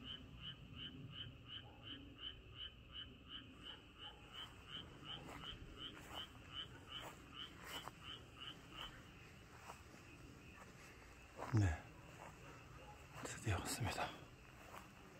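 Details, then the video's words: Frogs croak in a night chorus of rapid, bright, repeated notes on a quiet, dark countryside night in late April 2023 in Chungcheong, Korea, with a couple of brief handling bumps. "개구리 소리가 아주 좋네요."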